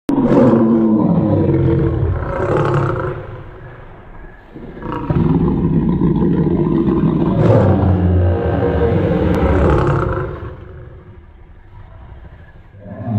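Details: Lion roaring in long, loud, low rumbling bouts with rhythmic pulsing grunts, two main surges separated by quieter pauses around four and eleven seconds.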